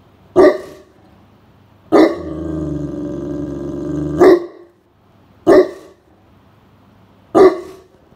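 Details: Great Pyrenees guarding the home from a cool room on a hot summer day as a stranger nears: five deep, isolated barks spread over eight seconds, one followed by a sustained low growl lasting about two seconds.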